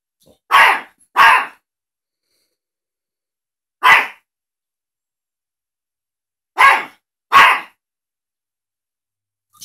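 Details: Teacup Yorkshire Terrier indoors, barking at a cat shown on a laptop screen. Five sharp, harsh barks come in two quick pairs with a lone bark between, separated by irregular silent gaps.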